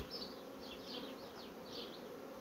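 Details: A quiet, even hum comes from a honey bee colony that is building up quickly. It holds steady throughout, with faint higher chirps flickering above it.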